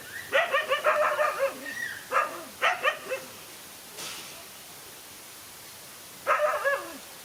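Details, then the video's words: Lone dog squaring up to two male dogs in a fight: rapid run of loud barks followed by two short clusters, a quiet gap, then a final burst of barking. "No fear to fight a lone again two male dogs"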